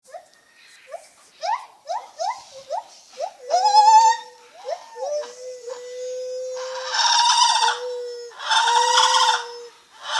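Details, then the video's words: Lar gibbon making funny noises: a run of short hoots rising quickly from low to higher pitch, followed by long steady level notes and two louder, rougher bursts near the end. "Lar gibbon making funny noises"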